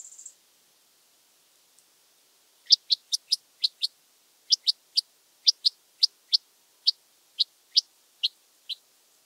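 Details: Red band-winged grasshopper (Oedipoda germanica) at Mörnsheim, Germany, 14 July 2023: after a brief opening hiss, a run of about sixteen short, dry, high ticks comes in pairs and singles roughly every quarter to half second, with no other sounds.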